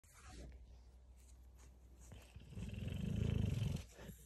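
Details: Dogue de Bordeaux being tickled indoors; a quiet stretch of rustling, then a deep, rapidly pulsing rumble of low grunts or growls lasting over a second, swelling and fading toward the end.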